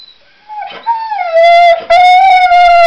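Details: Pet dog singing: after a brief whine, a sustained, steady howl with rich harmonics holds one pitch, breaks briefly, then resumes at the same tone.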